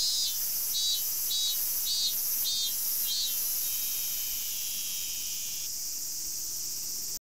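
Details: Robust cicada singing in forest in summer, recorded 19 August 2012; loud, shrill high-pitched buzzing with pulsed phrases repeated about twice a second, then a steadier drone toward the end.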